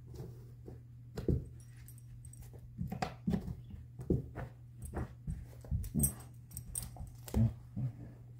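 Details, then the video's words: Female black Labrador–Coonhound mix named Chaco working to free her ball inside a small room; short, low, breathy snorts and thumps come in irregular bursts, roughly one or two per second. "Chaco, the Black Lab Hound, knows how to get her ball out"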